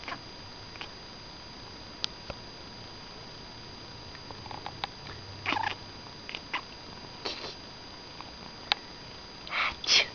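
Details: A domestic cat gives brief bursts of high, clipped chattering chirps in a quiet room, responding to a person's sneeze as she always does; a faint steady electrical hum runs underneath.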